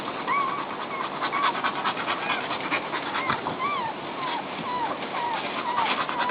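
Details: Newborn puppies settling in beside their mother: thin, high squeaky whimpers curling up and down, scattered through the clip over a steady rustling, snuffling background.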